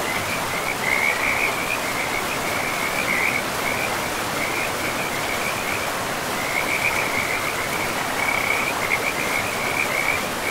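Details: Frog chorus along a forest river amid moss-covered land, a high, rattling trill sustained throughout with short gaps and bursts of extra intensity, beneath which the river flows with a constant broadband roar.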